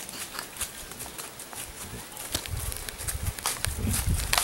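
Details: White-lipped peccary, the queixada, striking its teeth together, a habit it shows when in danger; rapid dry clacks tumble several per second, growing louder toward the end over a low rumbling background.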